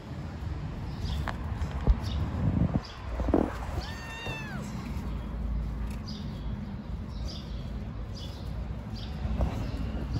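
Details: Stray kittens living on the street, playful and being fed: a single high, thin, arched meow rises and falls midway, after a brief murmur of a human voice, over steady street background noise.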